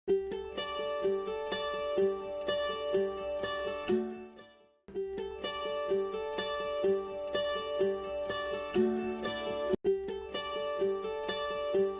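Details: Plucked string music, mandolin-like, repeating a bright melodic pattern with a short pause near five seconds.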